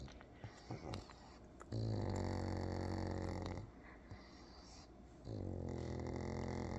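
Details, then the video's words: A pug asleep on its side: long, low buzzing snores with a steady droning tone, one stretching nearly two seconds, separated by quieter snuffling breaths. "Pug sleeping on his side"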